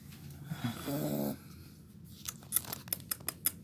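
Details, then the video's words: Sleeping Pit Bull puppy called Tigrão, said to snore a lot, gives one low rattling snore lasting under a second, followed by quiet breathing and a run of sharp tapping clicks indoors. "Meu pitbull roncando"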